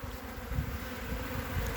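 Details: Honey bees covering three frames of a hive on 14 February 2021: a dense, steady low drone from many bees, with soft rustling handling noise beneath.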